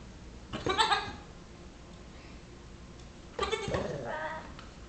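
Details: Nigerian Dwarf kid, six weeks old, pestering a Yorkshire Terrier; two wavering, harmonic-rich bleats, each about half a second to a second long, roughly three seconds apart, in a quiet indoor room.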